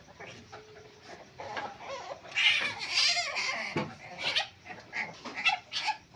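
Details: Palm civet giving harsh, hissing screeches in noisy bursts, loudest near the middle, followed by shorter rasping bursts; a faint steady tone is heard early on.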